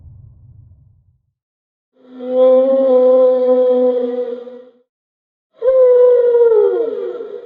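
Humpback whale song: a steady, rich moan held for nearly three seconds, then after a pause another that bends downward as it fades. A soft low rumble comes before the first note.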